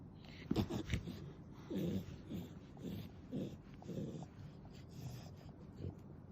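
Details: Nana, a clingy pet dog, snoring indoors, played at ten times normal speed: short rough nasal bursts with snorting texture recur roughly every second, with quiet room hiss between them.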